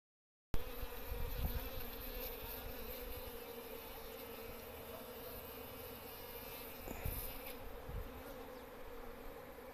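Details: As a honey bee stings a person's arm, its steady, droning wing buzz is held at an even pitch close to the microphone.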